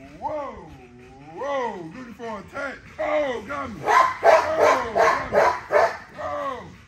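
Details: Nyla, an XL ghost tri American Bully female, vocalizing during a workout: a series of arched, rising-then-falling whining yelps, then a burst of quick, harsh barks toward the end.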